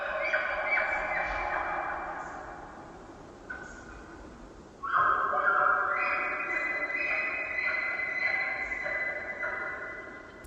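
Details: Female elk (Cervus canadensis) in the rut give high, squealing, overlapping calls that echo through the Quinault Valley on Washington's Olympic Peninsula, answering a bull's bugle among Sitka spruce, a river heard distantly.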